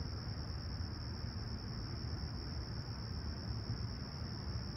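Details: Crickets chirping at sunrise on a clear, calm summer morning at Humber Bay Shores, Toronto, July 28, 2020, about 20ºC: one steady, unbroken high-pitched trill runs throughout over a heavy low rumble of distant traffic.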